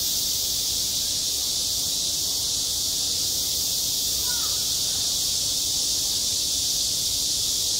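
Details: Midsummer cicada drone at a schoolyard, a constant high sizzling buzz with no breaks; a single faint distant call surfaces briefly halfway through.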